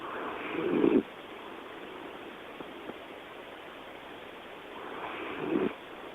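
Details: Toy poodle named Joe snoring: two breathy rasping snores roughly four and a half seconds apart, each with a low gravelly buzz, over steady background hiss.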